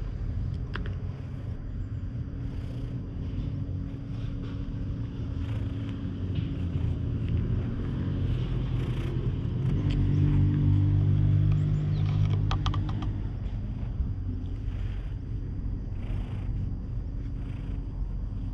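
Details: Stray cat resting on a lap at a shrine, recorded on a GoPro HERO8: a steady, deep, rumbling purr that swells louder midway, with faint clicks and rustles above it.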